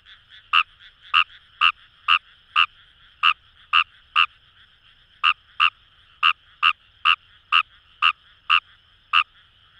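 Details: Kawamura's rice frog in the paddy fields of Itoshima, Fukuoka, Japan, by the Kamo River: a run of about eighteen loud, brief croaks with slightly uneven spacing, set against a dense, even chorus of distant frogs.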